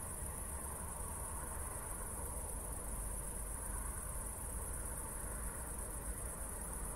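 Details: An insect chorus of crickets on a post-thunderstorm night in Zwettl, Austria. The sound is a fast, steady, high-pitched pulsing with no pauses, set against a constant low-frequency background rumble.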